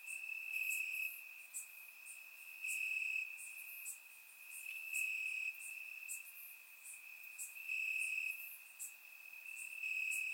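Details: Grass crickets chirping through a warm summer night in Bulgaria, a steady piercing trill beneath sharp chirp pulses spaced about a second apart, with intermittent brighter phrases and no other animals.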